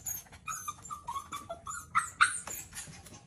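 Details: Female puppy BoJolie begging for breakfast, jumping around the table; a series of high, thin whimpers and yips, several rising and falling, about four per second, the last two louder and sharper, with light household clatter beneath.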